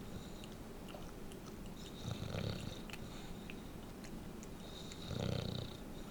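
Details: Pet bulldog Densuke asleep indoors, a fairly quiet snorer for his breed who often twitches his face and talks in his sleep; two soft, low, rumbling snore breaths come about three seconds apart, each with a faint airy whistle above, in a quiet room.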